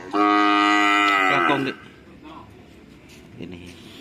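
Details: Cattle at a karapan sapi (bull racing) practice at the Asemanis field in Pamekasan, Madura: one loud, steady, richly harmonic moo lasting about one and a half seconds, sagging at the end, followed by quiet outdoor background noise.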